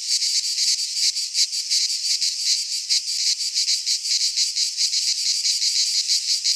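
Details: Many cicadas sing together in a Greek pine forest in midsummer: a bright, piercing buzz with rapid uneven pulsing and gentle rises and falls in volume, free of other noises.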